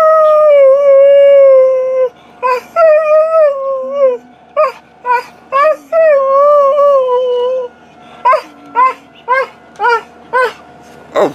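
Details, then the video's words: Alaskan Malamute Tarzan starts with two long wavering howls, then breaks into a rhythmic run of short, sharp woo-like yelps, roughly two per second. "Tarzan performing, showing off his beautiful voice"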